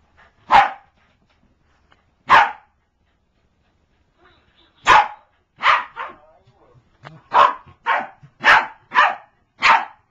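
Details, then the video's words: Corgi attacking a toy, giving loud sharp barks: two isolated barks, then a run of about seven quick barks in the last five seconds, with faint soft sounds between them. "Katie the corgi attacks her Barney toy"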